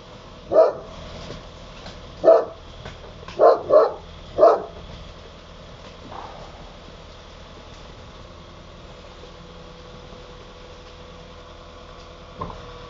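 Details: Barry, an Akbash dog in Italy, gives five deep barks in the first five seconds, two of them close together, then falls quiet with a single soft bark near the end; steady low background hum.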